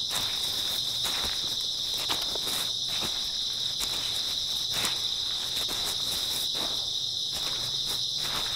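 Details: Grass insects chirping on an early autumn night, a dense, steady high-pitched chorus that never pauses, with sharp crunching footsteps from someone walking through at irregular intervals.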